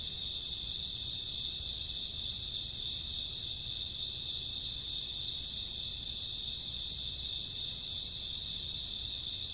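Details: Summer and autumn night crickets with grass insects, a constant high ringing chirp chorus of overlapping steady tones, no gaps, soft low background hum beneath.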